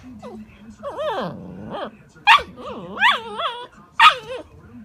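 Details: An Alaskan malamute puppy produces drawn-out, sliding whines and talkative woo-woo yowls that bend up and down in pitch, punctuated by short, harsh yips, while a person repeatedly says "no".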